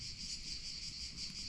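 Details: Many cicadas sing together in olive-tree woodland in Provence on a hot, partly cloudy 6 July summer day, a steady, high, shimmering buzz that swells and fades slightly.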